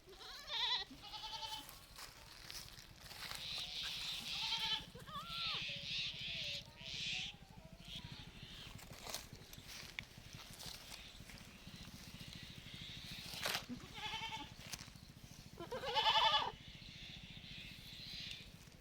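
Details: Baby goat in a village setting bleating repeatedly, wavering nasal cries at irregular intervals, some short and some drawn out, with a quiet background hum throughout.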